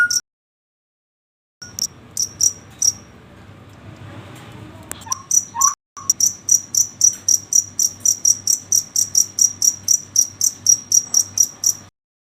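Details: Night-time cricket giving high, sharp chirp pulses repeated about four times a second after a quiet start and a soft noisy stretch, with a couple of faint lower notes in the middle.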